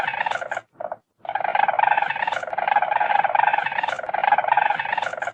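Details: Weasel, with squeals, hisses and movement through underbrush noted: a dense, rapidly pulsed buzzy chatter, brief at first, then a short gap, then a sustained rattling trill running steadily to the end.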